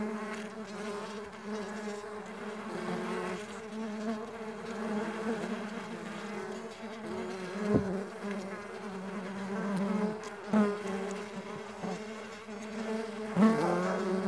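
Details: A long stretch of droning wingbeats from Mandaçaia stingless bees flying, a warm low hum with wavering pitch as many bees overlap, punctuated by a few short louder passes near the microphone.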